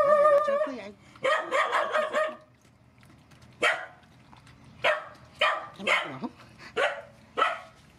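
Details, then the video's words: Rescue mother dogs and puppies at feeding, opening with a drawn-out whining yelp and quick yaps, followed after a pause by single sharp barks spaced about half a second apart. "Feeding mother dogs and puppies"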